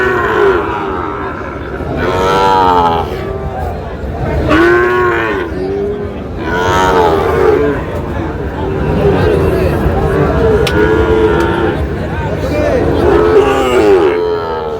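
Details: Sahiwal bull calves at a cattle market in Tangail, 20 August; several overlapping drawn-out moos with rich harmonics rise and fall throughout, over a steady murmur of crowd noise and occasional voices.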